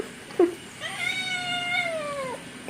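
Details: Kitten in a back-and-forth with a person speaking Malayalam: a brief faint sound, then a single long, slightly wavering meow that trails downward at the end, low background hiss.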